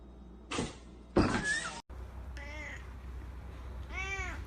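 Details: Two loud thumps, then a house cat gives two short, arched meows about a second and a half apart over steady background noise.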